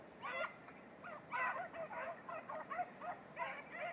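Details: A red-blue tick and lemon-white beagle on Crete bays in quick, harsh, honking bursts during 2021 hare-trail practice.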